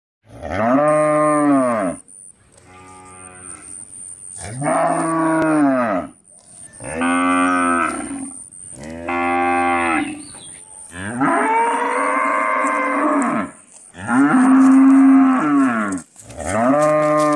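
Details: An Indian village cow moos again and again, each call a long, rich, droning low.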